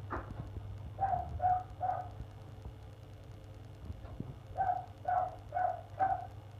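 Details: On 1 February a neighbouring dog keeps barking for an hour. Here it gives two runs of four muffled barks, each run spaced about half a second apart, separated by a pause, with a constant low droning hum beneath.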